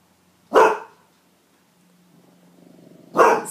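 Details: Pet dogs Athan and Lucius playing, Athan bullying his little brother: two sharp, short barks about two and a half seconds apart, with a low, soft rumbling growl building just before the second bark.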